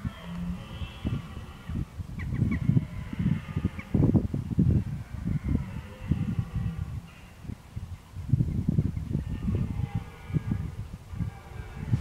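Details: Red deer bellowing in October 2014 while preparing for the rut: deep, rough, low-pitched roaring in bursts of a few seconds, separated by quieter gaps, with a steady low rumble of wind or ambient noise underneath.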